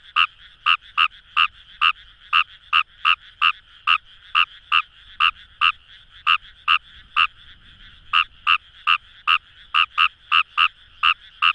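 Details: In rice paddies beside the Kamo River in Itoshima, Fukuoka, a Fejervarya kawamurai gives short, rasping croaks at a brisk, even pace of roughly two per second over a faint droning chorus of other frogs.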